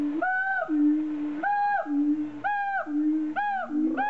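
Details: A siamang at Lagos Zoo, western Algarve, Portugal, in 2014, gives loud, hooting calls that swing between a low note and a higher ringing whoop.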